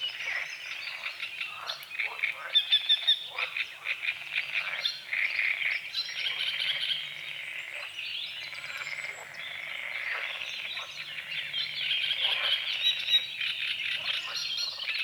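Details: Frogs croaking at dawn on a small lake at the forest's edge under morning fog; a dense chorus of rapid pulsed croaks overlaps throughout, with high whistled birdsong woven over the top.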